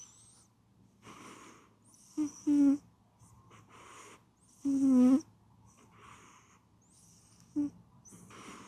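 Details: A sleeping pet cat snores. Short buzzy snorts come in uneven bursts, and one longer rasping snore sits in the middle. Faint breathy exhales fill the pauses, and the room is otherwise quiet.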